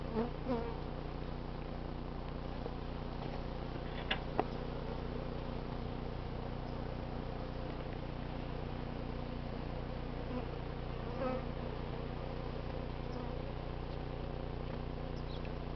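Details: Steady low hum of honey bees while an eleven-comb colony is cut out of a crowded barbecue grill in cooler late-summer weather in the 80s, with a few brief clicks and knocks of handling.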